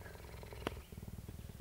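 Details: Purring female cheetah at a cheetah centre in Parys, South Africa, recorded 5 May 2019; steady low throbbing pulses, a sharp click midway, then clearly separated rhythmic purr beats in the second half.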